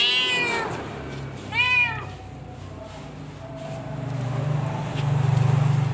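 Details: Domestic cat Cimoi giving birth to kittens, one fading meow followed by a short arched mew, then a low droning rumble swelling toward the end.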